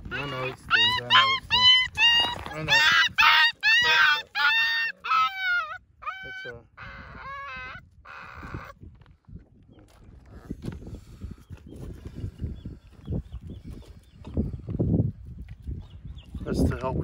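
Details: Young one-eyed puppy being treated at the vet, eye removed after it popped out: a run of loud, high, quavering whines and yelps for about six seconds, then quiet human speech about its care.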